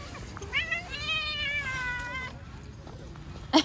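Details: Friendly cat met outside voicing a drawn-out meow that starts with a short chirp then holds a steady, slightly wavering tone for over a second before fading; quiet outdoor hum and a sharp click at the end.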